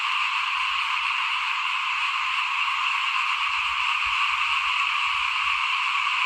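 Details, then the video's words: A chorus of small frogs in front of a house as rice is sown for planting, 2021. Many voices blend into a continuous, even, high trilling hum throughout, with faint low thumps in the background. "ฟินๆกับเสียงเขียดร้องหน้าบ้าน ตอนหว่านข้าวเตรียมปลูกปี2021"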